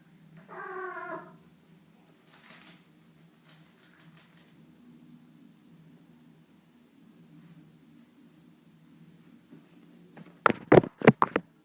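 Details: Cat giving a short pulsed, harmonic meow near the start, followed by a long stretch of quiet room hum and then several sharp, loud knocks or clicks at the end.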